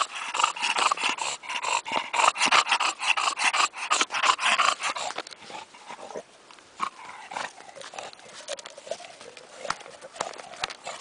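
An English bulldog gives rapid, rough snorting grunts and pants, strongest at first, then fading to softer breaths.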